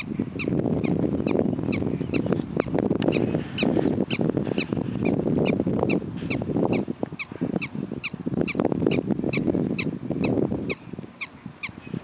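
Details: Repeated high squeaky barks from prairie dogs run throughout, about two per second, partly buried under heavy, continuous low rumbling wind-like noise.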